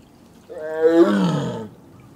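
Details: Captive female Korean tiger in heat, kept apart from her brother, calling to him: a single drawn-out roar over one second, rising into a hoarse, harmonic-rich moan and fading off, with no other sounds.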